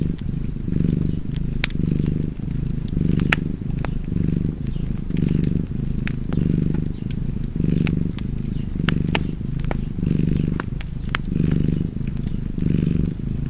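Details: Cozy cat purr, a rumbling low drone pulsing in roughly eleven breath cycles, each swell separated by a short dip, with fire crackling and popping in the background.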